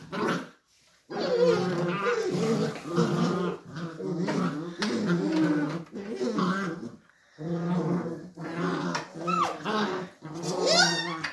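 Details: Beagle puppies squabbling and play-fighting inside a small room, giving long continuous rumbling growls broken by a short silence, with rising whiny yelps near the end.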